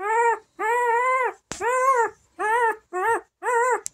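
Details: Bernese Mountain Dog puppy born March 5, 2023, indoors, giving a run of high whining whimpers, each rising then falling with rich harmonics, about six cries in quick succession, the later ones shorter and choppier, in a quiet room.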